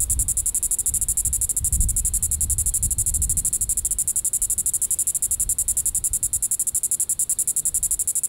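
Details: Evening call of a Diceroprocta vitripennis cicada, Sand Hills State Park, Reno County, Kansas, July 20, 2014: steady, unbroken high buzzing pulses throughout, over low rumbling background noise that is strongest early on.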